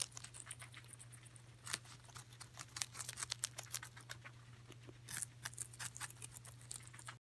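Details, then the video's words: Coco, a guinea pig, chews celery in a steady stream of rapid crisp crunching clicks, thick in the middle and again near the end, with a low steady hum running throughout. "Hungry Guinea Pig! Yum!"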